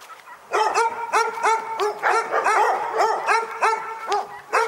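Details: Dogs barking at Pyrga: after a half-second lull, a dense run of sharp, ringing barks starts and keeps going, several voices overlapping in quick succession with barely a gap between them.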